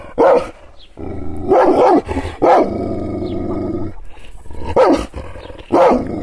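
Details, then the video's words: Angered Kangal shepherd dog, teased with hand gestures and not physically touched: loud single barks separated by a long, low continuous growl lasting over a second, then two more sharp barks near the end. "Yırtıcı kangal köpeği anadolu aslanı çoban köpeği kızgın köpek havlamasi urmesi sesleri"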